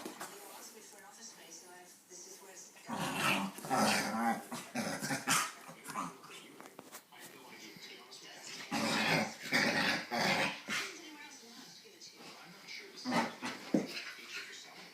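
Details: A corgi/bulldog mix makes bursts of rough, grumbling growls and whines after a bath, with a person speaking in the background.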